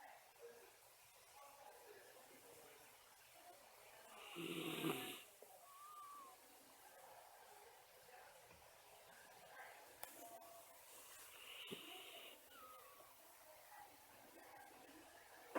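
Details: Miniature Schnauzer dog asleep during a daytime nap, snoring with whistling breaths. One strong hissing snore near the middle and a softer wheezy one about seven seconds later. Faint breathing and room quiet between them.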